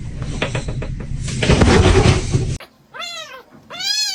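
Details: Kitten meowing: a burst of loud music and clatter, then two clear, falling meows, the second one louder and longer.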